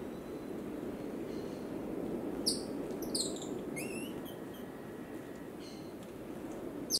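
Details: Cotton-top tamarin, Colombia: a cluster of quick, high chirps and brief rising whistles bunched near the middle, with a few fainter notes later, over continuous low background noise.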